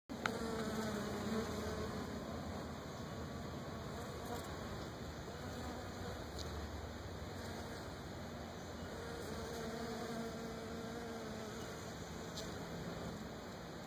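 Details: Wild Africanized honey bees, possibly hybrids, foraging on invasive Brazilian pepper tree blossom clusters in Florida; a steady droning hum from several bees whose pitch slides up and down as individuals pass close, with a faint rustling background.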